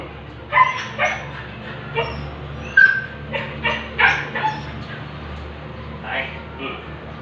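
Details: A Siberian Husky stud during an artificial insemination session gives a series of short, high whining yips, about one each second, with people talking and a low hum in the background.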